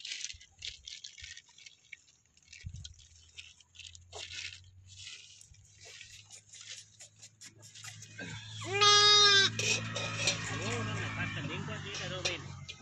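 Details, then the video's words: A one-day-old newborn lamb in a village lets out a single clear, harmonic bleat lasting about a second midway through, over a steady low hum with scattered rustling and crunching noises. "Baby Sheeps real sounds |goats | Lambs"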